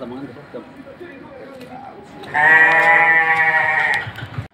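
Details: Young feeder sheep kept in a pen at Kepuh, Padalarang, West Bandung, Indonesia; a single loud, drawn-out bleat of nearly two seconds, rich and nasal, follows a stretch of quiet background chatter.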